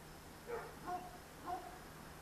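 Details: Dogs barking at night, one of many dogs heard amid traffic, recorded on a Sony DSC-H200: three short, distant barks about half a second apart, a pause, then a third, over a steady low hum and dark background noise.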